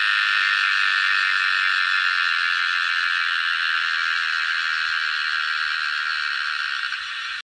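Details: Cicada, an insect said to spend 17 years underground before emerging mainly to mate, giving its summer song: a loud, steady, continuous buzzy drone held without a break throughout, easing slightly in loudness only at the very end.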